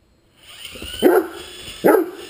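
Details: While chasing an RC helicopter, a Great Dane lets out two short, punchy barks under a second apart, with the helicopter's high whirring drone running throughout.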